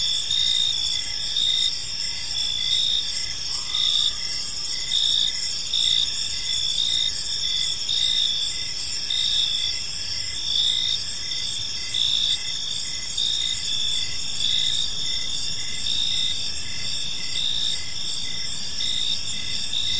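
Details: Gentle chirping of crickets in a serene park at evening; constant shrill high-pitched chorus with rhythmic pulsed chirps, plus a brief faint lower tone early on and soft background rumble.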